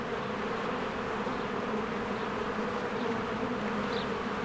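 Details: Spring hive of honeybees busy at the entrance; a steady multi-wing buzz holds throughout, with one short faint bird note late on.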